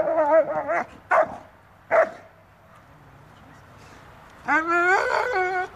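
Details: Dobermann Magmar Von Der Burgstätte barks in quick, ringing bursts, three close together in the first two seconds, then after a pause a drawn-out, howling bark with rich overtones.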